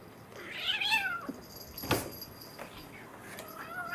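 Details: Two house kittens, an American Shorthair male and a Munchkin female born April 2021, playing together indoors; a short rising-falling harmonic mew near the start, then thumps and scuffling from play with a thin faint cry later.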